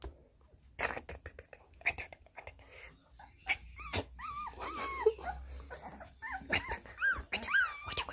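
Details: American Staffordshire Terrier, described as attacking a person, gives high arching whines and yelps in irregular bursts, mixed with thumps, scuffling and laughter.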